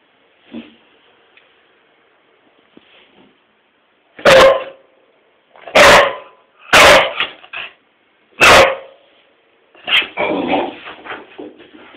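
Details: English Springer Spaniel, a pet dog barking at its owner for no apparent reason; after a few soft, faint sounds, five loud, sharp, harsh barks come at uneven intervals, the last one trailing into a rougher, drawn-out vocalisation.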